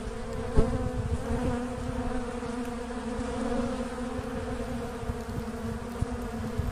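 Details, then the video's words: Asian honey bee (Apis cerana) swarm during a natural colony split: a constant deep humming buzz, steady in pitch, with an occasional light tap or click over the drone. "Apis cerana pecah koloni alami"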